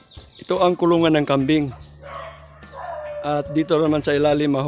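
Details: Bleats of Anglo-Nubian goats at milking time on a goat farm, a run of trembling, harmonic calls, then a quieter pause, then another cluster of wavering bleats over a low mechanical drone.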